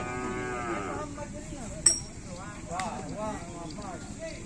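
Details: Cattle at a kerapan sapi bull race, described as raging. Wavering, rich-toned lowing fills the first second and a half, then shorter wobbling moos follow over a busy crowd hum, cut by a sharp metallic clang near two seconds.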